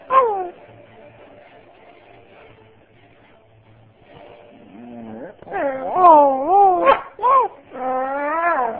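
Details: A female Beagle/Husky mix gives a wavering, yodeling semi-howl, which she does when she wants something, here when asked what she thinks of a family member coming home. A golden retriever is also present.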